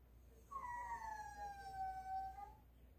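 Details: Ttolttori, a pet dog, begging for meat in the morning while it thaws: one long, flute-like whine lasting about two seconds, starting higher and sliding gently downward before fading.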